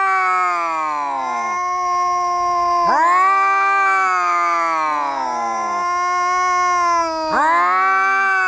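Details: Cats fighting, giving long drawn-out yowls with rich, bright harmonics; each wail swoops down in pitch and lasts one to three seconds, with two voices overlapping and fresh cries starting near three and seven seconds.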